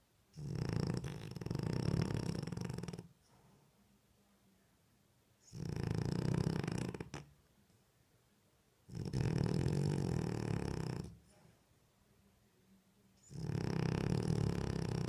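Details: A French Bulldog sleeping with open eyes and snoring: four long, rough, low rumbling breaths of about two seconds each, separated by quiet pauses, in a calm indoor setting.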